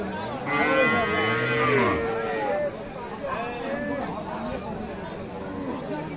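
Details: Sahiwal cows with calves at the Aftabganj cattle market, Dinajpur, Bangladesh, on 8 April; a low, drawn-out moo lasting over a second, then men bargaining and talking amid steady market crowd noise.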